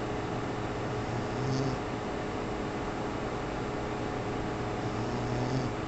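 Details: Sleeping pet dog named Griffon giving two gentle snores near the start and end, low and rumbling with a breathy hiss on each, separated by quiet under a constant background hum.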